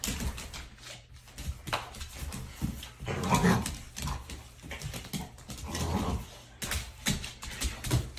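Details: Xoloitzcuintli (Mexican hairless dog) at play: rough, noisy grumbling growls and huffs come in uneven bursts, with short louder peaks scattered through and a low rumbling background throughout.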